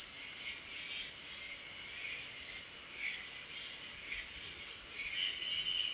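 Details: Crickets at night: a steady, dense high-pitched trill runs without a break, with softer, lower chirps flickering in and out beneath it, including a short rising phrase near the end.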